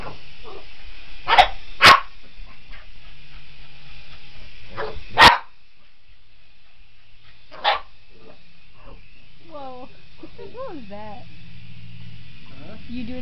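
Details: Boston Terrier chasing a remote control helicopter: a handful of sharp barks in the first half, then quieter whining, rising and falling whimpers under a steady engine hum.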